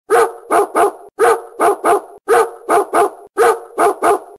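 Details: German Shepherd dog offered for sale in Bangalore, India, barking loudly in a steady rhythm: groups of two or three sharp, deep barks repeated about every second, with short gaps between groups and no other sounds.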